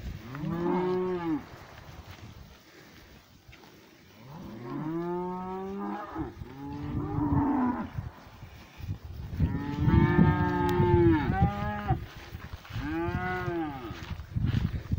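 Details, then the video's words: Several pasture cows lowing in turn: five or six drawn-out, rich harmonic moos that rise then fall, some overlapping, separated by short pauses with low background rumble. "Cows mooing in the pasture."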